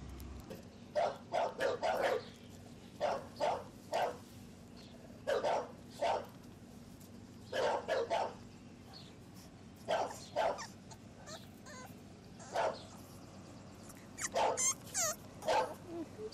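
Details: Two 7-week-old male English Bulldog puppies playing outdoors on a ranch give short, bright barks and yips in irregular bursts, with some growling.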